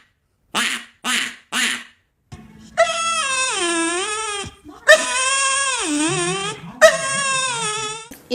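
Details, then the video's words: Dog producing weird, drawn-out vocal sounds: after three short breathy bursts come long, strongly harmonic wavering whines that dip and rise, with a low steady hum beneath. "These dogs made the weirdest sounds ever"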